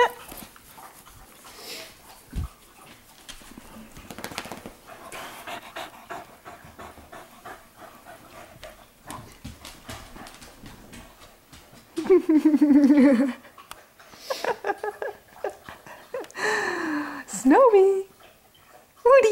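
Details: Pet dogs playing in the living room at night. Mostly quiet shuffling, then a tonal, wavering whine rises and falls briefly, followed a few seconds later by a shorter high whimper.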